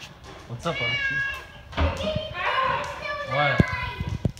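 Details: Great Dane crying in joy as its owner returns home: high, wavering whimpers in drawn-out bursts with a rising and falling pitch, mixed with a person talking close by.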